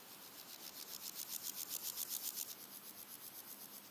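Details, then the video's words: Red-legged grasshopper singing by day in early August, one of three individuals: a steady train of dry scraping pulses, roughly four per second, swelling then easing, with a faint high insect tone and light wind. "Red-legged grasshoppers singing with other background insects and birds"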